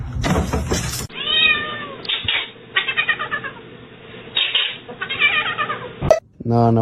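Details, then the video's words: Domestic cat meowing, several drawn-out and short meows in a row over a steady hum, with people calling to it and music in the background. "kitten meowing"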